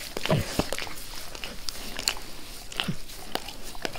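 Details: Pet dog Max eagerly licking his owner's face indoors: a few sharp wet clicks and smacks spaced unevenly over a few seconds, separated by quiet rustling and breathy pauses.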